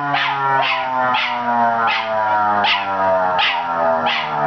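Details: ['An 8-month-old male miniature schnauzer named Zig howls along with a siren, giving evenly spaced bursts of wavering cries about every three-quarters of a second over a steady drone.']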